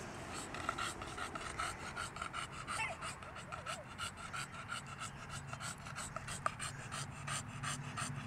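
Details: An English Bulldog pants heavily in rapid, rasping breaths at a dog park around 7pm, mid-70s °F after an upper-90s day, struggling with the heat; faint voices behind.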